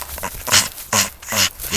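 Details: Coco, a roughly nine-year-old male English Staffordshire Bull Terrier, plays at ball stunts. He gives three short, breathy, huffing grunts about half a second apart, each a harsh burst with a faint tonal core.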